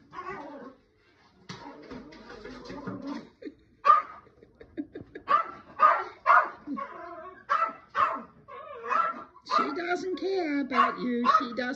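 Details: Sharp, irregular yips and barks, about two a second, from Chloe the Yorkie, worked up by the cat Minki playing deliberately inside a big box at home. Whiny, strained notes and a voice talking over them mix in.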